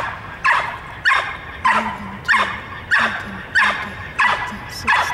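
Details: Twenty-two-month-old dog in K-9 training practising hold and bark on March 30, 2018, giving forceful, evenly spaced barks roughly every 0.6 seconds, eight in about five seconds, each with a brief rough tail.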